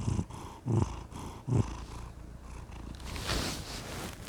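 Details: Pet cat purring, three deep rumbling pulses in the first second and a half, then the purr fades into a soft hiss and faint rustling.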